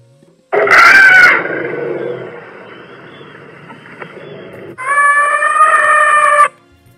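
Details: African elephant giving its true trumpeting call, played in a children's quiz on African savanna animals. A loud blaring blast of about a second fades into a lower, rougher tail. A second steady, strongly harmonic trumpet follows before it cuts off.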